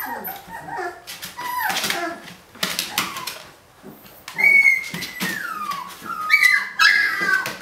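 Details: Day-18 puppies, big and rambunctious, attempting to climb out of a kiddie pool: scuffling and clattering at first, then drawn-out high whines sliding downward, several pups calling over one another.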